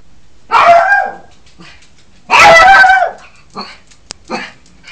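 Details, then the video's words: A Yorkshire Terrier puppy acting as guardian of the house gives two shrill, drawn-out barks, then a few soft yips. "Perro Yorkie ladrando / Puppy barking"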